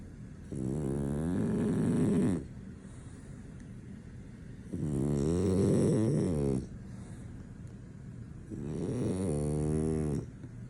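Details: French Bulldog snoring in heavy sleep, impossible to wake; three long, rattling, harmonic snores roughly every four seconds, each lasting nearly two seconds.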